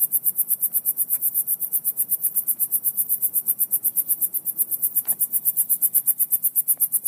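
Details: Crickets give a steady, high, rapidly pulsing buzz, several pulses each second, over a faint low hum like a leaking muffler or bad speaker, heard in the same spot over the last two weeks, its source unknown.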